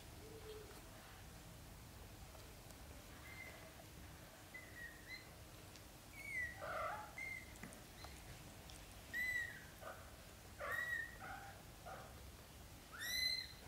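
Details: British Shorthair kittens, let out on the floor by their mother cat to practise walking, give thin, high, tonal mews. Short calls come scattered and irregular, growing louder and more frequent toward the end, with several overlapping voices.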